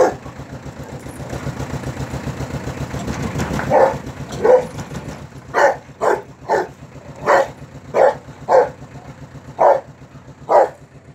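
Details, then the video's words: Angry dog: a couple of scattered barks, then a steady run of about nine loud, rough barks roughly every 0.6 seconds, set against a constant vehicle rumble. "Angry Dog reactions"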